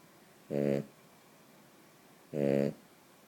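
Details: A sleeping female Cavalier King Charles Spaniel snores loudly in low, buzzy rasps, one with each breath.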